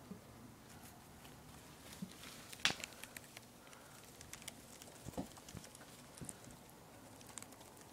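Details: Poporn, a two-month-old pet guinea pig, munches lettuce: crisp, irregular crunching clicks and soft patter scattered through a quiet indoor room, with one sharper snap near the middle.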